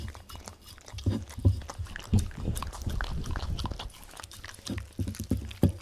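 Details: Welsh Corgi called Tangza eating wet dog food: close, heavy chewing and gulping with thick low smacks roughly three per second, a few sharp bites standing out, recorded in a quiet room.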